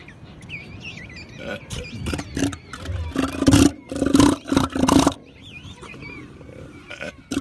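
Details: Sluggish elephant seal on a beach burping out loud: a burst of rough, pulsed, throaty belches lasting about two seconds, with thin wavering bird cries before and after.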